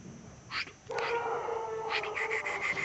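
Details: Pələng, a Caucasian Shepherd Dog aged one year and one month in Azerbaijan, gives a sustained, tonal whine. It starts after a brief higher note and holds steady for about two seconds.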